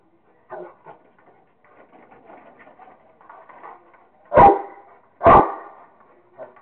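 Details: Rottweiler playing with a squirrel: soft low grumbles and whines, then two loud, sharp, harsh barks about a second apart near the end, and a faint short yelp closing.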